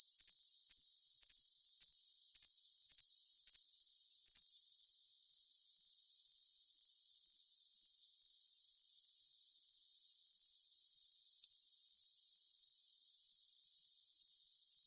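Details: Continuous high, thin cricket trill with brighter chirp bursts over the first few seconds, then a smoother, even ringing tone; no other sounds and nothing in the low range.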